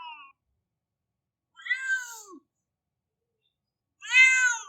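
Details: Cat crying like a baby: a clipped meow at the start, a wavering mid-length cry with a falling tail, then a loud bright harmonic wail; nothing else audible.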